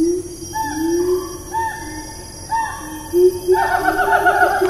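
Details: Siamang calling in Taman Negara National Park, Malaysia, 4 April 2019: low rising hoots alternate with higher clear notes about every second, then a faster burst of stacked notes toward the end, over steady rainforest insect hum.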